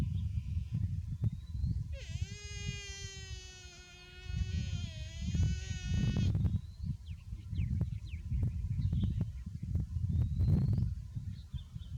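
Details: Buffalo calf said to be too hot gives a long, drawn-out harmonic bleating call lasting about four seconds, steady then slightly falling, over a constant low rumble and background noise.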